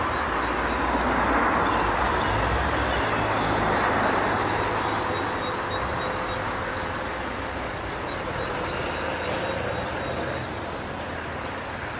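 Steady broadband rumble of passing vehicles or a train, with no clear animal calls standing out.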